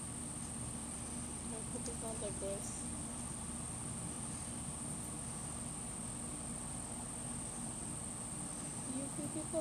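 A Shih Tzu reverse sneezes, a rapid run of harsh, snorting inhalations repeated without pause.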